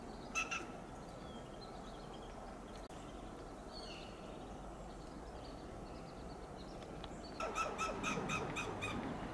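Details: A western gray squirrel in a coast live oak in California's Del Monte Forest calls in alarm: one harsh note, a long quiet gap, then a rapid series of about eight rasping, staccato chucks, steady hiss behind.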